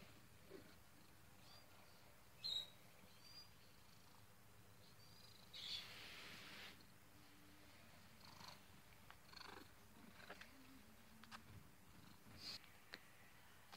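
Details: Sleeping pet cat snoring indoors: soft, low, rasping breaths about every three seconds, quiet overall, with a few brief sharp clicks and a short hiss of noise partway through.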